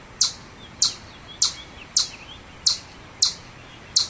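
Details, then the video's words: Chipmunk chirping in seven sharp, high clicks at an uneven pace of about one every half to three-quarters of a second, with faint thin twittering notes heard between the early chips. "Chipmunk Sound Effects - Crazy Chipmunks Making Chirping Sounds!"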